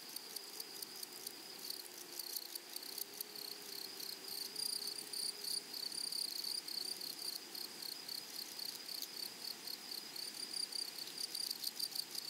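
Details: Grasshoppers singing in a flowering prairie meadow, a shimmering high buzz with irregular pulsed bursts throughout, plus a faint low hum in the first half.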